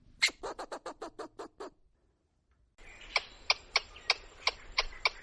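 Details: Squirrel chattering in forest: a quick burst of about eight harsh, broadband chucks, a short silence, then slower, sharper clicking notes repeated around three per second over background hiss.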